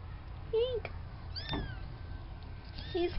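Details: Young farm kitten from Spanky's litter of four, a few weeks old at the fluffball stage, gives two short, wavering meows about two seconds apart with a faint thinner mew between them, over low background rumble.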